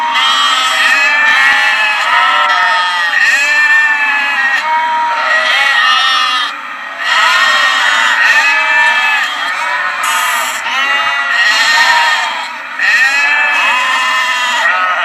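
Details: Lambs bleating over and over in a dense chorus, many quavering harmonic cries overlapping throughout with only brief pauses, a constant low hum underneath.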